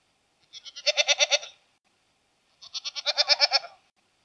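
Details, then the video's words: Domestic goat producing two long, strongly vibrating bleats about a second apart, each building to a loud pulsed middle before fading. "Ziegen Geräusch - Geräusche von Ziegen"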